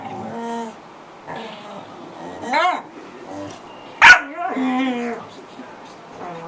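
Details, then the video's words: Pet corgi vocalising: drawn-out harmonic whines and yelps with rising and falling pitch, one sharp bark near the middle, then a longer wavering whine. "the corgi making a lot of noise!"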